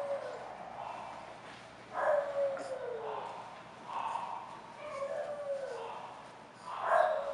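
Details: English Bulldog from a breeder's kennel in Florida, giving drawn-out whining vocalisations that slide downward, in bursts near two, four to five and seven seconds, over a steady background hiss.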